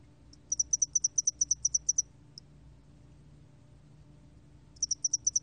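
A spotted-wing hairy cricket sings a high, thin chirping trill of rapid pulses, then pauses.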